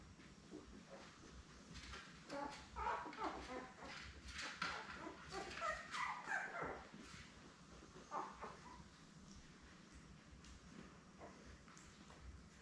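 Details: Newborn Labrador Retriever puppies, seven born May 24, 2021, with their mother Belle on an indoor live puppy cam on June 3. Scattered high thin squeaks and whimpers cluster in the middle seconds over a soft, steady background hiss.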